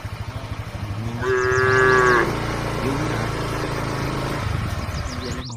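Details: Dozens of tame cattle walking together toward the barn; one drawn-out, low, steady moo lasting about a second rises above a continuous rhythmic low thumping and background rumble from the moving herd.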